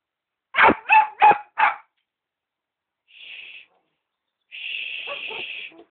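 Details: Cavalier King Charles Spaniel puppy wanting the family's dinner: four rapid yapping barks in a burst, then a quiet pause followed by a faint high hum and a longer steady tone with soft whimpering sounds.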